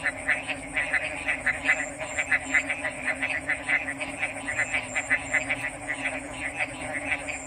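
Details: Several frogs croaking in a regular pulsing chorus, short raspy notes about twice a second, accompanied by a steady high whine and a faint low hum in the background.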